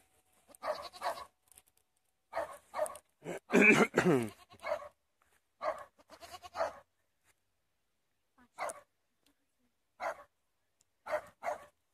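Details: Goat bleating in short, irregular bursts separated by silence, with one longer, loud, quavering bleat near the middle and fainter bleats trailing off toward the end.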